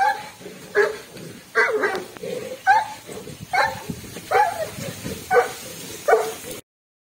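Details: A Komondor, during a bravery test, barks in a steady series of deep, rough woofs, roughly one each second.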